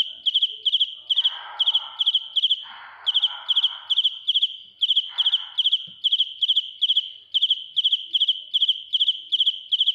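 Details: Close-up recording of a real cricket singing, very loud: regular high chirps of three or four rapid pulses, about two and a half per second throughout, with occasional rustling noises in the first half.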